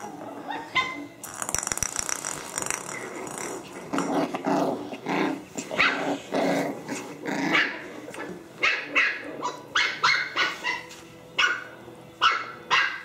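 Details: Puppies playing with gusto, giving repeated short yaps and barks in irregular bursts, some with growly tones, continuing for the whole stretch.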